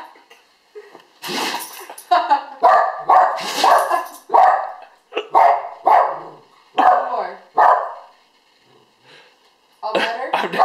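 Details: A 1-year-old Alaskan Malamute has a sneezing fit of rapid, short, explosive, snorting bursts, with people talking and laughing.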